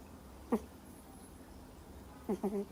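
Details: Miniature Schnauzer puppy aged two months, fast asleep, giving one squeaky snore, a pause, then a quick double snore with a nasal, buzzy edge.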